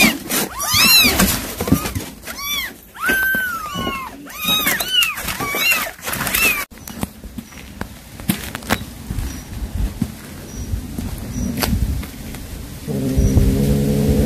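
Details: Domestic cat, a mother calling her kittens after catching a mouse for them: quick clusters of rising-falling arched mews fill the first six seconds, then the calls fade into quiet with a low droning hum near the end.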